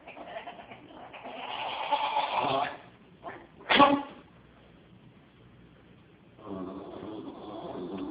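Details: Female Jack Russell Terrier reacting to a cat, giving strange vomit-like vocalizations: a strained, bleating moan, a sharp loud burst, then a rough pulsing groan, with quiet pauses between.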